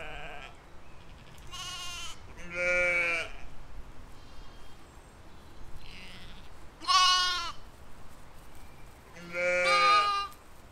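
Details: Grazing sheep and lambs in a field in spring 2020 give four loud, quavering baas at irregular intervals, some higher-pitched and lamb-like. A faint, soft call sounds between them.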